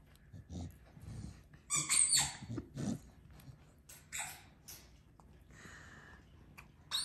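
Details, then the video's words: Two elderly Staffordshire Bull Terriers, a talkative 10.5-year-old female and a 12-year-old male, beg for their toys indoors in Alaska; irregular bursts of breathy snorts and short high whines, with a louder squeal near the end. "(Staffordshire Bull Terriers) begging for their toys"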